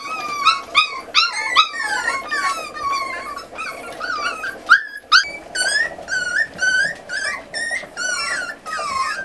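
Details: Miniature Schnauzer puppies from a litter of eight, 40 days old, being weaned indoors and scolded by their mother; many pups whine at once in shrill, rising-falling cries, with a brief hush near the middle.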